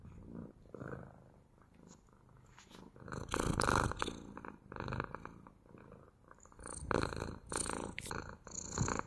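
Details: Soft purring from a domestic cat, quiet at first then building into stronger rumbling breaths in the second half, with a faint airy rasp over the low vibration.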